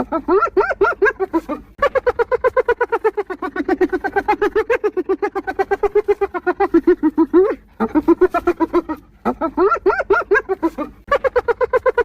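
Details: Continuous hyena laughter over twelve seconds: dense repeated hiccuping notes, roughly four each second, broken by a few short silences, with occasional upward-swooping notes.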